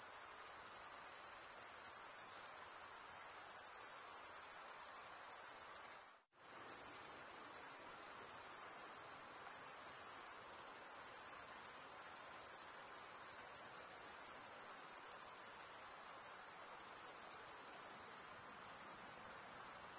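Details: A steady, sizzling high trill of male crickets chirping by wing stridulation runs unbroken apart from one brief silent gap near the start, then carries on evenly to the end.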